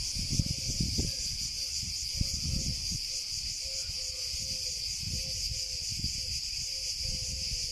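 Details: Cicada song: a continuous, high, shimmering buzz that holds steady without pause, with faint low thumps and rumbles underneath.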